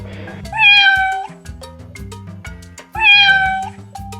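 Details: Domestic cat giving two clear, drawn-out meows, each a bright nasal rising-then-falling call under a second long, separated by about two seconds, over a steady background music track.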